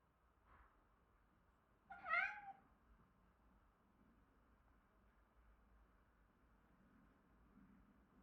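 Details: A male Siberian Forest cat gives one clear meow that rises then falls, calling his twin brother to come and play.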